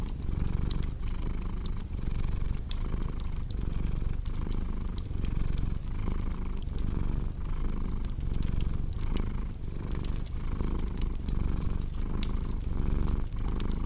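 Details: Rumbling purr of a cat, even and throaty, breaking into rhythmic breath pulses about once per second while a fireplace crackles and snaps in the background.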